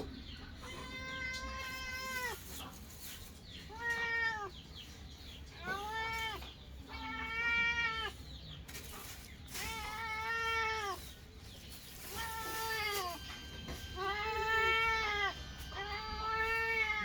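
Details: Kittens meowing while eating, a long run of drawn-out harmonic meows, roughly one every two seconds, some overlapping, with steady low background hum.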